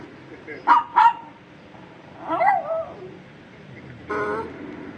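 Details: Indoors, a Shih Tzu reacting to sounds lets out two quick high yips about a third of a second apart, followed by a person speaking and a short final noise.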